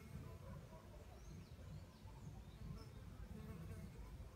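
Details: A mandaçaia stingless bee collecting wax, heavily loaded and struggling to fly before entering the nest, gives a low, steady droning buzz, with faint bird chirps far behind.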